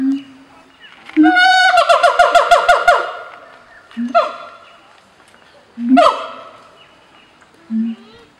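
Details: A breeding pair of siamangs living on islands at Taronga Western Plains Zoo, Dubbo, sing loud ringing duets to claim territory and bond, with deep booming notes between bursts of rapid falling hoots.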